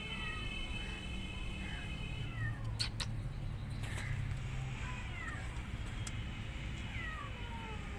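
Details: Abandoned kittens calling with several faint, high, falling meows, some overlapping, heard above a constant low hum and a few brief knocks.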